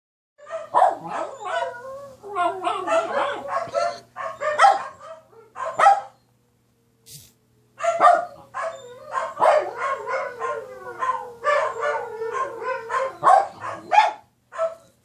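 A dog gives a rapid run of yips, whines and barks in irregular bursts.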